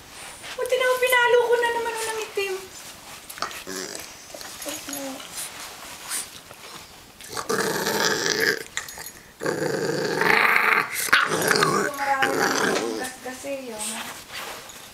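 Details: Boozer, a 14-week-old English Bulldog puppy, gives a drawn-out falling whine near the start, then rough growling bursts, all mixed with loud people talking in Tagalog through most of the recording.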